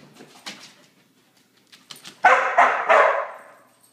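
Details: Border Collie kept in by three days of rain: quiet clicks and soft sounds, then a burst of three fast, loud barks near the end, echoing slightly in a small room.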